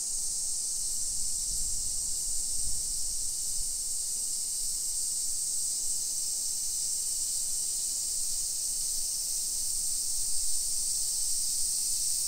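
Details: Cicadas droning in summer heat along suburban streets of Nisshin near Nagoya, Japan, at 1 PM on 28 July 2021. The high, shrill, seamless buzzing continues for the whole stretch, while a few soft low thumps, likely footsteps, sound early on.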